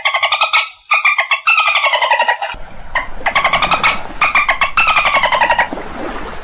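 A dolphin gives rapid, buzzy, squawking pulsed calls in quick bursts.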